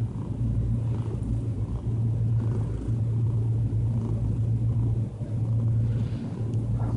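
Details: Diana, a calm cat, purring while relaxed; a steady low rumbling purr in long continuous stretches with brief breaks between breaths.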